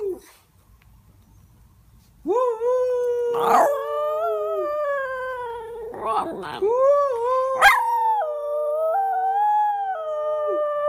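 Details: Two Miniature Schnauzers, a female and her brother, howl together in long, wavering tones that slide up and hold steady.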